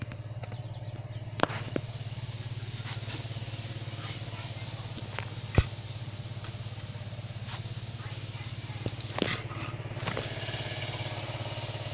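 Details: Constant low engine hum outdoors with scattered clicks and faint voices; no goat bleats are heard.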